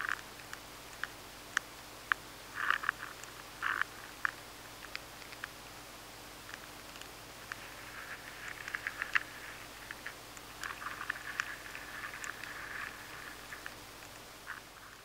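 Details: Stored-grain pest, an adult maize weevil, nibbling steadily within a grain of maize, captured with sensitive equipment: dense runs of crackly scratching and rapid ticks, thickening into near-continuous gnawing bursts toward the middle and later stretches.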